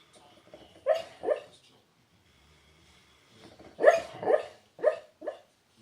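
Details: Ozzie, a pet dog, hiccuping in his sleep while dreaming; short voiced yelp-like bursts come in pairs, two near the start and a cluster of four later, separated by quiet.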